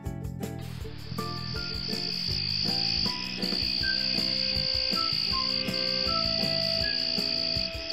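A grasshopper stridulates in a thin, high-pitched buzz that holds steady for a few seconds at a time, with brief breaks between runs. Light instrumental music plays underneath throughout.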